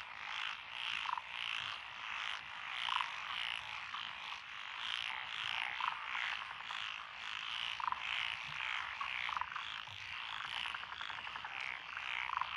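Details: Frogs calling from lotus rice paddies beside a country road in Echizen, Fukui Prefecture, Japan, 12 June 2021, where Japanese tree, black-spotted pond, wrinkled, Schlegel's green and forest green tree frogs sing: a dense pulsing chorus with rapid croaking bursts every second or two.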